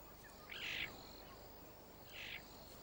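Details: Captive caracals, a father greeting his returning female kitten Shy after she has been exploring, in a simple contact call: two short, high, chirp-like calls about a second and a half apart over a faint steady hiss.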